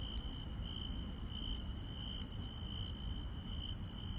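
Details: Insects chirping on a night in the countryside: a steady, shrill, unbroken trill holds one high pitch, while fainter, higher chirps pulse about twice a second above it, over a dense low rumble.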